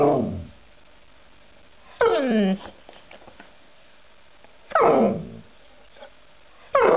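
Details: Alaskan Malamute giving loud, descending whine-howls, each sliding down sharply in pitch. They come roughly every two to three seconds, with a faint murmur in the gaps.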